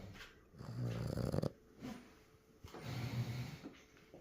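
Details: Baby French Bulldog snoring while asleep: two deep, vibrating, rattly snores a couple of seconds apart, with softer breathing between them.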